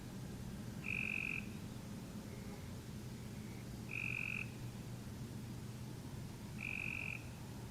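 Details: Cope's Grey Treefrog giving short flat-pitched buzzy trills, pulses too close together to separate, three calls about three seconds apart over a steady low hum and faint background notes.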